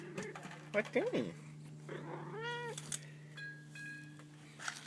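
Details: White domestic cat playing with catnip gives one short, arched, tonal meow that rises then falls, following a few soft spoken words from a person; a faint steady hum runs underneath.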